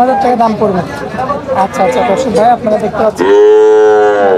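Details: Cattle at the Oronkola livestock market after Eid, where young bulls are on sale: busy chatter of men's voices fills the first three seconds, then one loud, sustained, rich-toned moo breaks out and holds steady to the end.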